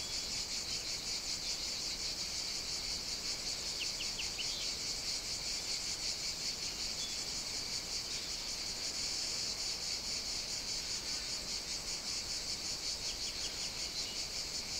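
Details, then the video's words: Cicadas at an outdoor caffè in Sicily, Italy, on a summer morning: a constant bright buzzing drone, with a few short bird chirps partway through and again near the end. "Caffè outdoor ambience (cicadas, singing birds, distant clinking dishes...)"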